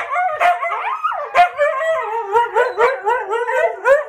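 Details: Pet huskies, one a little over two years and one six months old, howling along to a harmonica: short wavering rising yowls repeated about four times a second, several voices overlapping.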